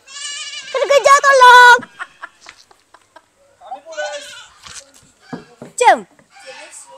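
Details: A goat named Cameron chasing people. A loud, wavering, nasal bleat fills the first two seconds. Excited human voices and short exclamations follow.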